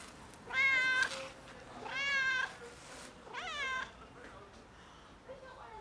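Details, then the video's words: Fluffy house cat loudly asking for food, giving three strong harmonic meows in quick succession, the last sliding down in pitch, followed by quieter faint mews; indoor setting with low background murmur. "Loudly Meowing Fluffy Cat Asks for Food"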